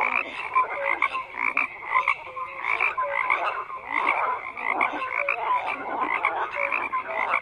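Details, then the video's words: Numerous frogs croak together, steady pulsing rattles mixed with brief whistle-like notes dotted throughout, a constant wall of calls. "FROGS CROAKING"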